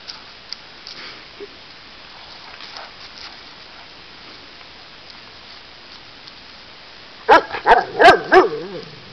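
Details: Bernese Mountain Dog, from a household with dogs named Ellie and Una, lets out a quick burst of about five high, ringing yipping barks near the end, after a long quiet stretch of faint rustling and patter.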